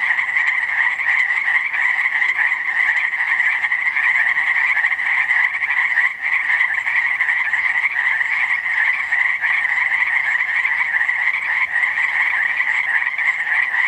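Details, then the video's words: A dense chorus of frogs at Langdon Lake, Oregon: countless quick chirps merging into a steady, high trilling roar. "Frogs chirping at Langdon Lake, Oregon"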